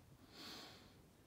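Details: Lulu, a pet Golden Retriever asleep indoors and seemingly dreaming of running, gives one short breathy, hissing snort lasting under half a second over quiet room hum, while a person softly asks what's wrong.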